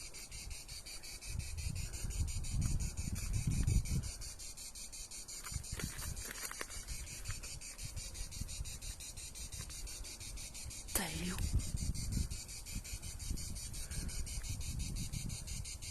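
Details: A cicada in Pas-de-Calais, France, sings a steady, high, finely pulsed buzz that carries through the whole recording.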